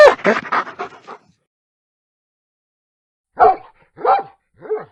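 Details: Dog barking: a quick run of five or six choppy barks, a pause of about two seconds, then three separate deeper, full barks spaced roughly half a second apart.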